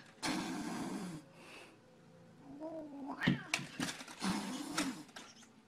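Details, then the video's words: Cats fighting through glass: drawn-out, low wavering yowls and growls, interrupted by sharp knocks and scuffs against the glass in the second half, recorded indoors in a small room. "Funny Cats Fighting Through Glass"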